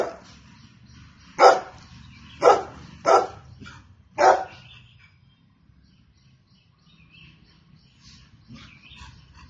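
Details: Golden Retriever barking: four sharp, loud barks spaced about a second apart early on, then a quieter stretch with faint scattered background sounds.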